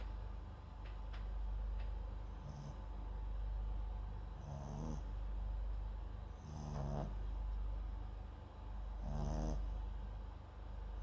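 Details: Papillon × Japanese Chin mix named MAX asleep, microphone close by; after a few quiet breaths, three raspy, rattling snores arrive roughly two seconds apart, each ending in a light airy hiss.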